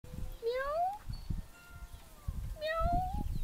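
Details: Pinot, a pet cat, meowing through a window: two rising, drawn-out meows about two seconds apart, over low rumbling background noise.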